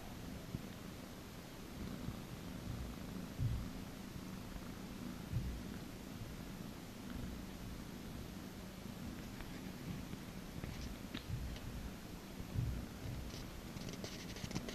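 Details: A cat being massaged purrs steadily, a low, even rumble running throughout, with scattered rustling and light handling sounds growing toward the end.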